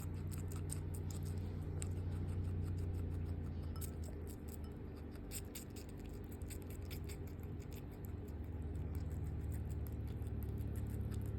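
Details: Skinny guinea pig eating its first watermelon of the year indoors: quick crisp crunching clicks, about two or three a second, irregular, over a steady low hum.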